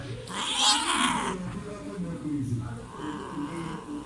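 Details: A cat gives a loud, harsh scream during mating, followed by lower yowling wails; the scream is said to come from painful scratching by the male's barbed organ.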